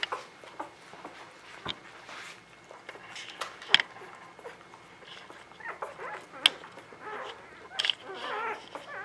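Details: Newborn puppies of the Ava Jericho litter, spring 2017, while their mother bathes them: thin, high squeaky whimpers come in scattered short bursts, with sharp clicks and a faint steady tone underneath.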